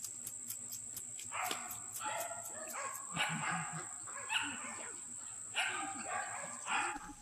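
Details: Bi-black puppies from a single litter, heard as a string of short yelping yips and whimpers at irregular intervals over a constant high-pitched hum and faint clicking.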